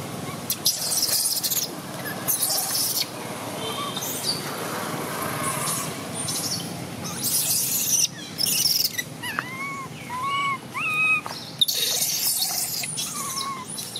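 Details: Baby macaque Jixn throwing a crying tantrum as its mother Jade withholds milk, in Siem Reap Province. Short arched wails come in a quick cluster of four, then one more, among loud rustling and scraping noise.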